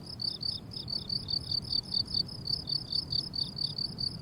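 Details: Crickets on a blooming summer meadow chirp steadily in short, high, pulsed trills repeated several times a second.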